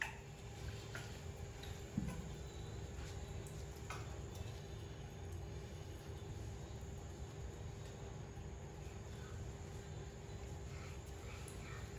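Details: Low steady room hum with a few faint clicks and one soft knock near the second second; no animal voice stands out.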